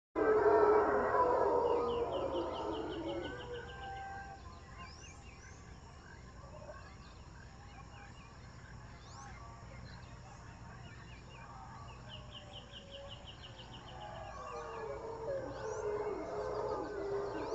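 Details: Howler monkeys at Jungle Land, Panama roar in deep, rough, rolling bursts that swell and fade, with birds trilling behind.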